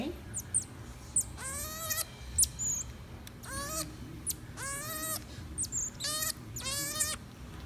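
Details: Pet common marmoset eating blueberries: a series of shaky, vibrato-laden cries repeated about every one to two seconds, broken by brief high whistled notes and faint clicks, with quiet room hum behind.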